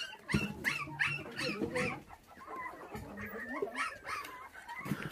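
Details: Five puppies whose mother was stolen when they were six days old, now bottle-fed with milk indoors; rapid high whining squeals repeat several times a second, overlapping and wavering, with a woman's voice softly heard.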